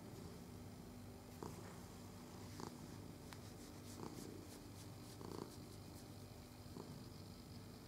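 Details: Purring domestic cat being petted, recorded 22 November 2018: continuous low throbbing purr with soft rhythmic pulses, broken by brief rustling touches every second or so.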